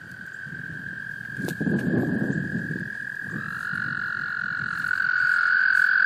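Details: Breeding American toads in a small pond, Laurens County, South Carolina, March 2014, males calling to attract females: continuous high trill with splashing, rustling noise midway, and a second, louder trill joining and building toward the end.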